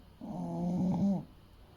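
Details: Sleeping English Bulldog Fuku, a male aged eight weighing around 30 kg, gives a single drawn-out rumbling snore of about one second, buzzy and throaty, rising slightly in loudness before cutting off.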